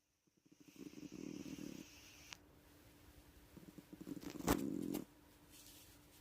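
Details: A female cat snoring loudly, louder than a person: two raspy, fluttering snore bursts about three seconds apart, each lasting over a second, over a steady low hum, with a sharp click between them.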